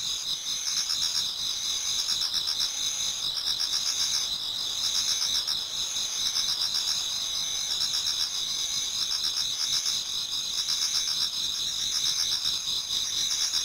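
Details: Insects of autumn calling in a Japanese garden before daybreak: continuous piercing high trills with a throbbing pulse, punctuated by recurring short buzzy rattling bursts in a lower register roughly every second.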